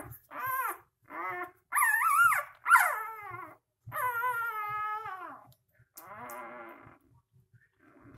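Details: Three-day-old puppies whimpering and squealing: a series of about six high, wavering whines with rising-and-falling pitch, some short and squeaky, others drawn out, spaced irregularly over several seconds with brief silences and faint soft bumps between them.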